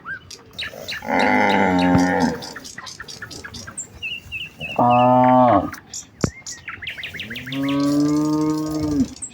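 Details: Morning in a village as a herd of cows walks out to the fields, calling to one another; three long moos, the middle one shorter and sharper, over a background of chirping birds and a sharp click.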